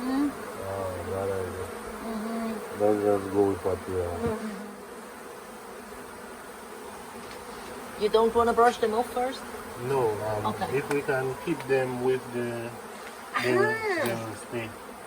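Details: Honey bee swarm, late in the year, after several days on the grounds of the Tamarind Tree Hotel, being caught into a nuc box: a steady droning hum throughout, with louder buzzing bursts passing close and people talking over it.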